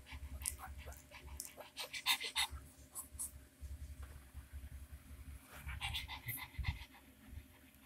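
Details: Twenty-five-day-old Pug puppies playing and fighting to prove who is leader: rapid, breathy panting in quick irregular bursts with small squeaks and scuffling, rustling bedding throughout.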